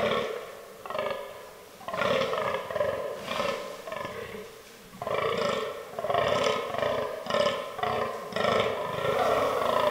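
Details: Fallow deer during the autumn rut in forest, a buck giving a run of hoarse, burping groans in quick succession, grouped in bursts with a longer quiet gap before the final string.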